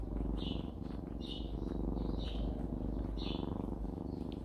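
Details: Content mother cat Jisuni, a country cat, purring contentedly. The steady low buzzing rumble carries on unbroken while outdoor birds twitter in quick repeated chirps above it.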